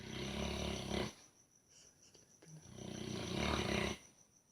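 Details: Buddy the dog snoring while dreaming, two long rasping breaths, each about a second, separated by quiet pauses with a faint steady high tone in the background.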